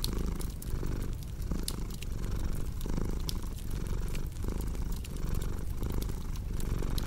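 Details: Purring cat heard as a low, vibrating drone broken into even breathing beats, while a fireplace crackles and snaps in the background.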